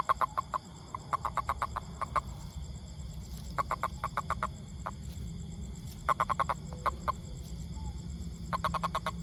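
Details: Toad repeating clusters of sharp, clicking croaks in bursts of five to eight pulses with pauses between, over a constant low-frequency background rumble.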